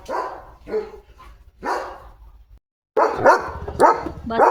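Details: Leo, a pet German Shepherd, barks during a day of command practice and car jumping, drawing everyone's attention: three spaced, moderately loud barks, a short pause, then a quicker cluster of louder, harsher barks.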